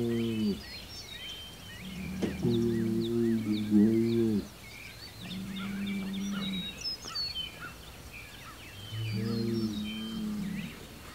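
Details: Rural standoff on June 17, 2023: Hereford bull Homebrew bellows toward rival Hereford and Angus bulls across the road. Three bouts of low, wavering bellows lasting one to two seconds, with busy birdsong and chirps in between.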